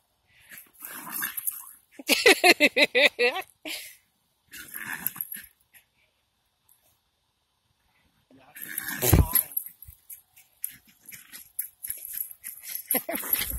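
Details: Jack Russell Terriers, a pair, let out a burst of quick shrill barks around two seconds in, go quiet, then resume mixed barking, growling and scuffling later.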